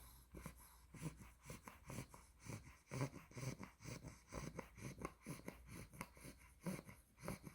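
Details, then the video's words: Sleeping Olde English Bulldog puppy, female, two months old, blue merle tri: faint wheezy, breathy snores at a steady pace near two per second, low-pitched rasps with light snorting catches, recorded indoors. "OLDE ENGLISH BULLDOG SNORES WHILE SLEEPING"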